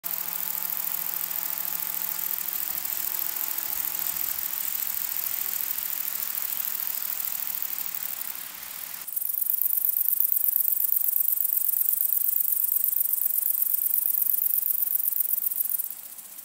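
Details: Long-winged conehead (Conocephalus fuscus) singing at sunset at Dreezsee, Germany, in August: a very high, hissing band of rapid ticking that starts abruptly midway and runs on steadily, after a first part with faint low hums and tones.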